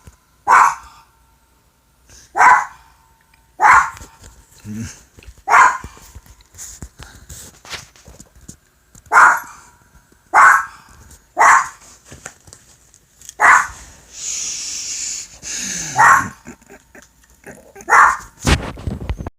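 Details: Pet dog barking at an iPod: single sharp barks repeated roughly every one to two seconds, about eleven in all, with a scraping noise near the end.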